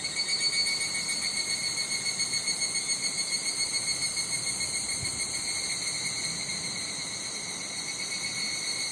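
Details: Higurashi cicada calling in a Japanese summer at Nishigo Village, Fukushima Prefecture: rapid pulsing notes, about four per second, swell and fade over the first seconds above a steady high insect hum, with some wind noise.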